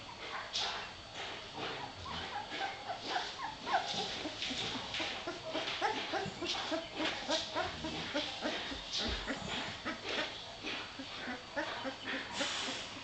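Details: Litter of puppies about three weeks old, many overlapping high squeaky whimpers and squeals in a dense, irregular chorus with no pause, roughly a hundred calls a minute.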